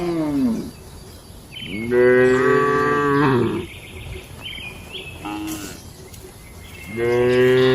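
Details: Cows in their shed at night moo in rich, deep harmonic calls, one long moo of over a second in the middle and shorter ones at the start and end, over a quiet rural hum.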